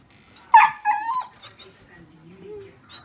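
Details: Border Collie mistaking a dog statue for a real dog and trying to play, one sharp high yelp-like whine followed by a short wavering whimper, then quiet with faint low speech.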